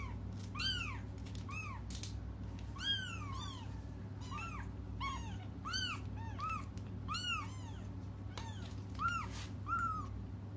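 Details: Several cats cry for their absent mother, a dense run of short, rising-then-falling meows repeated roughly every half second, voices overlapping throughout, over a constant low indoor hum.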